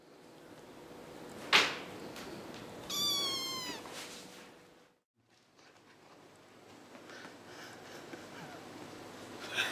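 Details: Six-week-old kittens, five in the litter, playing and fighting; a sharp squeak, then a drawn-out wavering meow lasting about a second, followed by quiet rustling and a brief gap.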